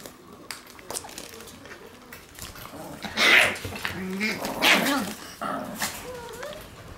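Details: Shiba Inu puppies in their puppy room on 22 February, giving thin wavering whines and squeaky whimpers, with two louder sharp yelps near the middle and soft rustling in the background.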